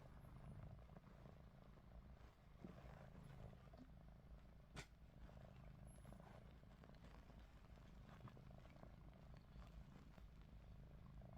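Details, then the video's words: Ruby, a pet cat, snores with her eyes open while a Russian Blue named Lupin looks on nearby; a faint, steady low rumble runs throughout, with one short sharp click near the middle. "루비 눈 뜨고 코골이"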